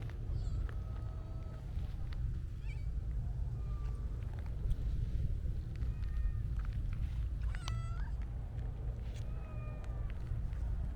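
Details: Siamese mix stray cat, content after being petted, gives several short, thin meows, the first longer and level; a steady low rumble and scattered clicks persist throughout.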